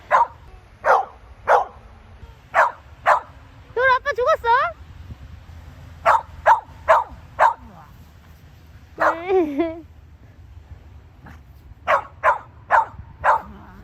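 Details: Samoyed named Gyeoul (Kim Gyeoul) outdoors at the first snow of 2020, barking as its owners pretend to faint in front of it: short sharp barks in irregular bursts, with two stretches of human voice between them.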